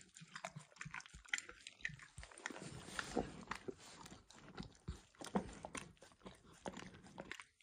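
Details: Dog licking a bumpy orange lick mat spread with eggs, indoors with no talking: rapid wet clicks and slurps in quick irregular succession, crisp and close.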